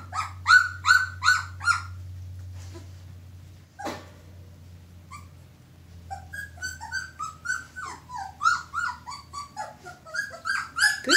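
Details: Two-week-old red Standard Poodle pups from one litter squeal in quick, high, harmonic bursts, a run of loud cries at the start, a pause, then many overlapping squeaks, with soft talk and a low steady hum behind.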